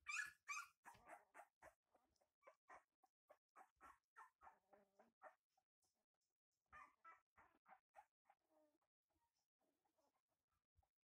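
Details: Kuvasz puppies yelping and whining in rapid overlapping bursts, loud high squeals at first, then a pause, then more short whimpers fading into softer scattered squeaks.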